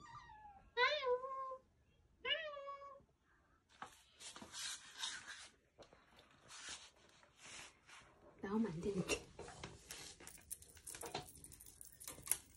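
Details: Weak rescued kittens, discovered clinging to each other on the road back from a family funeral, give two wavering meows about a second and a half apart, followed by rustling, handling noise and speech.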